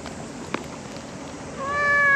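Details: Stray cat letting out one loud, sustained meow that starts after a quiet pause with a single tap, holding a steady pitch to the end.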